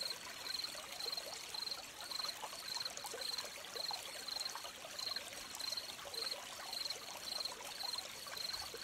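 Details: Crickets chirping beside a stream: high, thin pulsed chirps repeat steadily about twice a second, around fifteen across the stretch, over a constant trickle and pour of running water.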